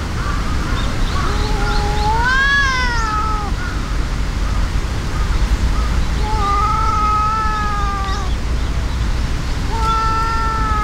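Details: Two cats, a brown tabby-and-white and a brown tabby, in a fight: drawn-out wavering yowls that rise and fall, one long cry near two seconds, others at six to eight and ten seconds, over steady low rumbling background noise.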